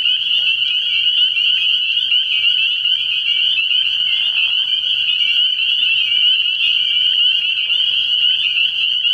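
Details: Spring peepers calling at night from a frog pond early in the year: a dense, continuous high chorus of overlapping shrill peeps that merge into a steady ringing wall of sound, with a faint low hum beneath.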